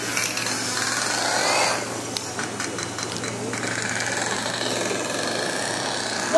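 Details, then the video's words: Pacific white-sided dolphin echolocation clicks, used to find food, played over a loudspeaker at a Vancouver Aquarium dolphin show on 23 November 2011: a rapid, buzzy crackle. "what you're hearing are the clicks produced by Pacific White-sided dolphins during echolocation."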